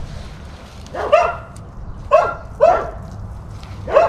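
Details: Major, a German Shepherd, barking in a village to draw replies from other dogs; four separate sharp barks about half a second to a second apart over a quiet background.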